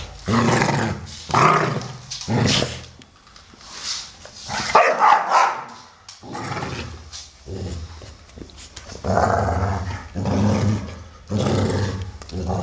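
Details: Two American Staffordshire Terriers playing, a 12-year-old brown male named Solo and a grey 1-year-8-month-old female named Shaya; loud bursts of barking and growling come in short runs with brief pauses.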